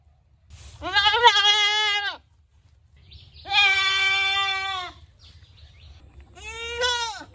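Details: Goats bleating: three drawn-out, wavering baa calls, the first two lasting over a second each with a quavering, vibrato-like texture, the last shorter and rising then falling, separated by quiet gaps with low background rumble.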